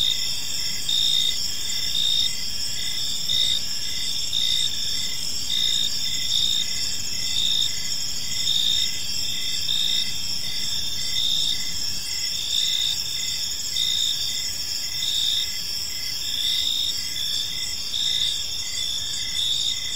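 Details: Park crickets chirping as evening falls: constant shrill multi-toned chorus with rhythmic pulsing near fifty beats a minute, steady and unbroken, with soft low ambient rumble.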